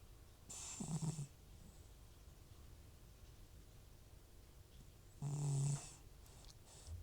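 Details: Old FIV-positive cat Butcher snoring in deep sleep, his nasal congestion audible: two strong, low, buzzing snores about four and a half seconds apart, the second longer and steadier, with soft breathing in the gaps.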